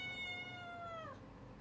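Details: Cat at early morning giving a single long meow, clear and harmonic-rich, slowly falling in pitch before breaking off after about a second, over a low background rumble.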